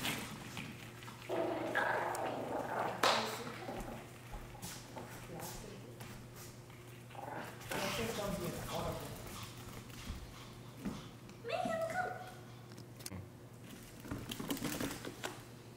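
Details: Dogs in a fight, captured with a Sony a7 III camera: sharp yelping barks and snarling growls break out in irregular bursts, loudest around the third second. Human voices talk throughout over a constant low electrical hum.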